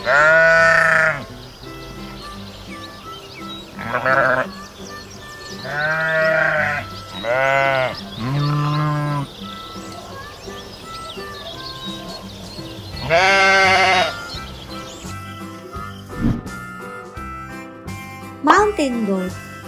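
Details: Bighorn sheep bleating: a series of wavering, harmonic-rich bleats, each about a second long, coming in separated bursts, with background music throughout.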